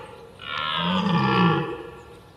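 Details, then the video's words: A red deer bugling as a mating call: one drawn-out, rough roar that rises, holds with rich overtones for about a second, then fades away. "red deer mating call"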